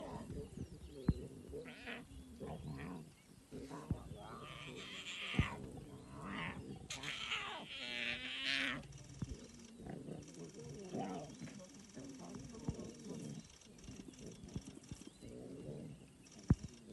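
Lion cubs making rough growls, grunts and whining moans in irregular bursts while they feed.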